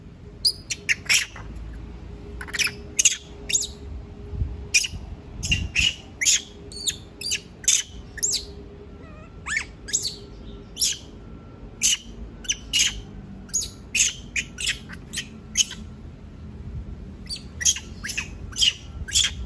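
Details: Monkey screaming because it does not want to be left alone: sharp, high, shrill squeals in short bursts, repeated at an irregular rhythm through the whole recording, with a faint low background hum.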